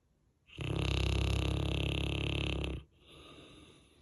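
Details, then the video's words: Max, a Saint Bernard in the deepest sleep, gives one long, loud, rasping snore lasting over two seconds, rich and rumbling deep in the bass, followed by a much softer breathy exhale. "Saint Bernard Deepest Sleep Loudest Snore"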